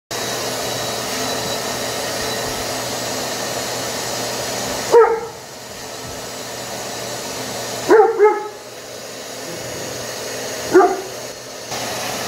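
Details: Luna, a rescued Great Dane, investigates a shop vac. A steady vacuum drone runs, stops, then restarts, broken by three short sharp barks spaced a few seconds apart, with the second coming as a quick double.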